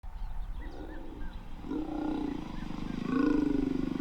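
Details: Lion roaring near the Jones Dam waterhole, north of Skukuza in Kruger National Park, where male lions were followed during mating; two deep, drawn-out moaning phrases, the second louder and longer, over a low rumbling background.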